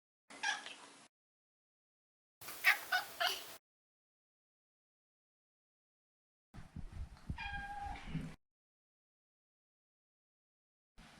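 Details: Maine Coon Maro, a neutered male pet, giving short broken mews and chirping sounds, three bursts spaced by silence, one with a clear falling tone near its end, quiet and somewhat rough.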